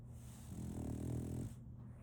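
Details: A single long, rasping snore from Solaimy, a sleeping female French Bulldog, a low rumble swelling for about a second before fading, with a constant low background hum.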